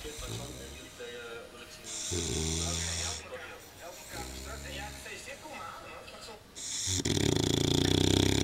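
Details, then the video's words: Old English Bulldog sleeping in a dog basket that is a little small, giving harsh, rasping snores in a few separate bursts, the last one loudest, with people talking between them. "Snoring sound "Old English bulldog""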